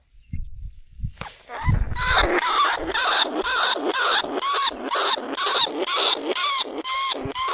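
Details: Lesser bandicoot rat held in a cage trap, recorded live in 2569 at Na Lao, Nong Khu Phai, calling to other rats. After soft low thumps, harmonic squeaks repeat about twice a second, each falling slightly, with faint hiss.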